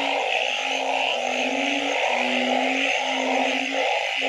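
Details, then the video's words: Frogs croaking at night. Low, even tones last about half a second each and run almost back to back, set against a dense mid-pitched chorus and a high steady hiss. "Nighttime Frog Symphony"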